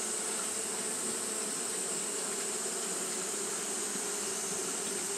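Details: Japanese honey bees fanning on a hot day give an even, continuous humming buzz mixed with a soft rushing hiss, level and uninterrupted.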